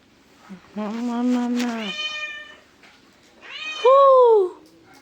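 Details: Domestic cat giving two meows: a long flat nasal wail lasting about a second, then after a pause a shorter, louder meow that rises and falls; people talk before and after in Kannada.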